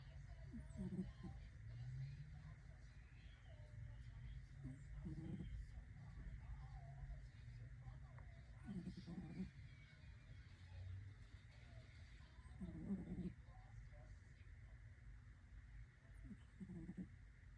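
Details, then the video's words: Sleeping kitten, likely orange, snoring softly: low, rough breathy bursts about every four seconds over a quiet, steady background hum. "Kitten with an amazing snore"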